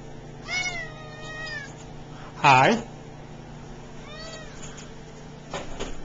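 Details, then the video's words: Talkative male F1 Savannah cat meowing indoors: a drawn-out harmonic meow near half a second, a loud short cry at two and a half seconds, another meow near four seconds, while a person talks back to him. "F1 Savannah Elroy Doing Some Talking..."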